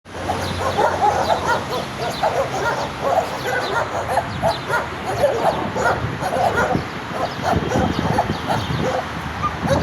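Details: Several angry, aggressive dogs bark in a dense, continuous chorus of overlapping short harsh barks, with occasional higher yips and whimpers among them and a steady background hum.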